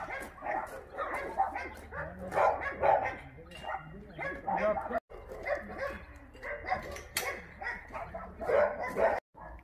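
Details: Many abandoned dogs at Minjeulle Shelter in Yangsan bark and yip at once in a dense, overlapping chorus, steady throughout, mixed with human voices.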